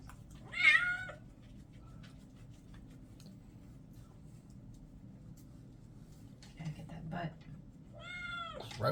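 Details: Orange and white male kitten during a bath indoors: a short meow early on, then quiet with water and handling noises, and a second falling meow near the end.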